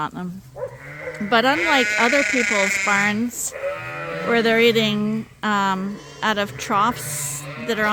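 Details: Barn full of Suffolk lambs at Ewetopia Farms, groups mixed after an open gate, giving loud quavering bleats that rise and fall in quick succession, with a low human voice murmuring beneath.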